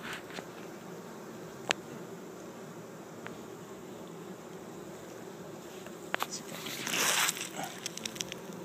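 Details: Honey bees, workers and large drones, in a grounded swarm being captured in Chico, California, 2013: a low, even hum broken by occasional clicks and a brief loud rustling burst near the end.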